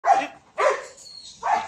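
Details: Belgian Malinois puppy during heeling and out-command training with food luring; three short, sharp barks spaced about half a second apart, then handler commands follow.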